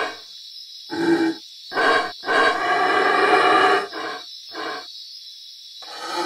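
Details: Black howler monkeys in Belize, recorded at sites including Pook's Hill Lodge, Caracol and the Baboon Sanctuary, give deep, rough roaring howls in bursts of varying length, the longest lasting almost two seconds, broken by short silences over a steady high insect hiss.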